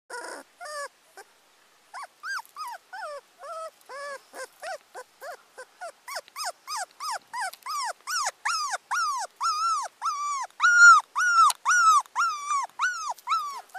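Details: Abandoned teacup Pomeranian puppy whimpering: a long series of thin, high, arched whines, starting sparse and quiet, then coming faster and louder, roughly two per second, with some overlapping squeaks near the end.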